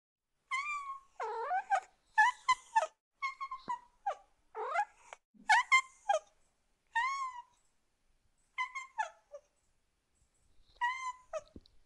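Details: Cat meowing in a rapid series of short, rising-then-falling mewing calls, a dozen or so bursts spaced irregularly over about twelve seconds, with quiet gaps between and no other sounds.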